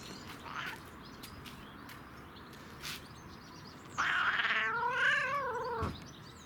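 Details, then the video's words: Domestic cat making odd noises while enjoying catnip: after quiet rustling, a wavering, warbling call of about two seconds with a pitch that rises and falls, ending abruptly. "Cat Makes Funny Noises While Enjoying CatNip"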